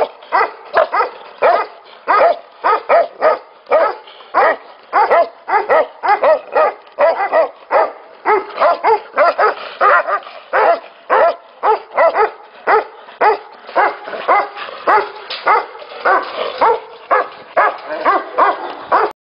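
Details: A long chorus of barking from Tibetan Mastiffs at a breeding facility: many dogs give dense, overlapping, harmonic barks near two per second, without pause.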